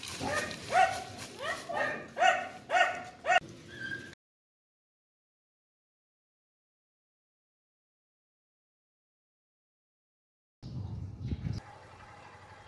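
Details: Red Chow Chow barking in a run of five or six fairly regular, hoarse barks over about four seconds, followed by silence and then a brief low rumbling noise.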